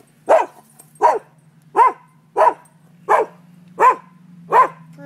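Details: Noon recording of barking dogs on a neighbouring property: seven evenly spaced, punchy barks, roughly one every 0.7 seconds, over a low steady hum.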